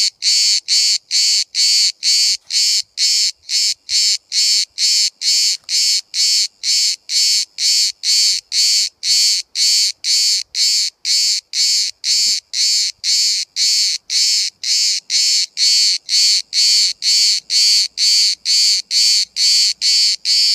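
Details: Close-up cicada at Bodrum, Turkey, singing in a steady train of loud rasping buzz pulses, a little over two per second, very regular and sustained throughout with only faint background noise.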